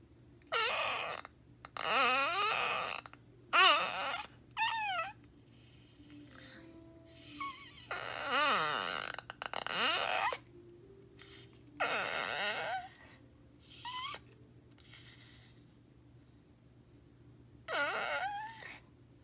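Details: Pet dog indoors giving a series of creaky, wavering whines and groans that sound like a creaking door, in bursts of one to two seconds separated by short pauses, with some breathy, rasping noises between them.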